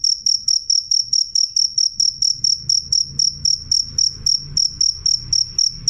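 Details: Loud, clear jangkrik cricket chirping: bright high-pitched pulses repeated roughly four per second without pause, over a soft low background hum.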